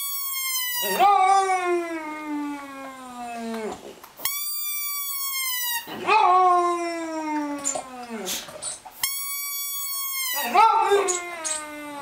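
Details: Dog's sung howls in a small room: three long, slightly rising-then-falling wails separated by steady high sustained tones, the pattern repeating about every three seconds.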